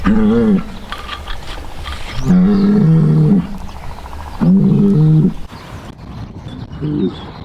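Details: Deep, rough bellowing from a Polish white-backed bull recorded at Radolinek: four drawn-out harmonic calls, some dipping slightly in pitch, separated by pauses of one to two seconds, over faint low background noise.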